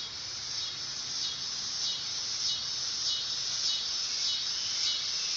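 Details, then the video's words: Dog-day cicada, Neotibicen canicularis, singing in summer: a high, sustained sizzle with rhythmic pulses about every 0.6 seconds, even in loudness. "Cicada sound / call / noise | Dog day"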